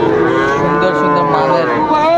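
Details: Friesian or crossbred heifer calf at Raniganj cattle market, Dinajpur, on 12 July 2024: one long, steady, loud moo lasting the whole stretch, with rich even harmonics, while market talk murmurs faintly behind.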